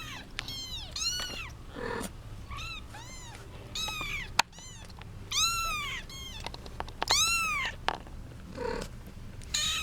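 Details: Kittens, part of a litter of eight (seven female, one male) with their 8-month-old mother cat, fighting over their mother: many high arched meows with rich harmonics, rising then falling, overlapping in quick bursts, with soft thumps and rustling.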